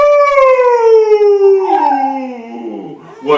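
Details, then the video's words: Schnauzer singing to the national anthem with one drawn-out howl that falls gradually in pitch over about three seconds, fading and wavering lower before a brief rise at the end. "schnauzer sings national anthem"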